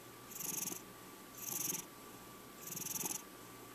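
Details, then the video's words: Purring from a five-year-old male house cat, three airy rasping surges on successive breaths roughly a second apart, low rumble continuing between them, faint steady hum in the room. "My Cat Purrring Over 2 Minutes!"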